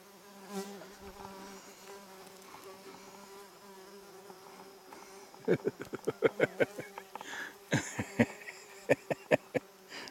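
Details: A bee hums with a low, even buzz lasting several seconds in a front yard in July 2019, bees collecting food; partway through, sharp, irregular clicks and knocks cut in over the fainter drone.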